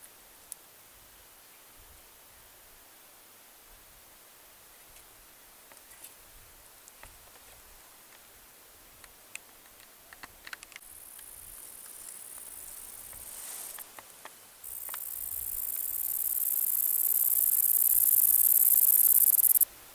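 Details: Kerik meadow katydid (Conocephalus melaenus), a wing-rubbing insect of low bushes. After quiet ticks and rustles, a very high hissing buzz begins partway through, jumps louder in steps, then swells into a strong steady drone until the end.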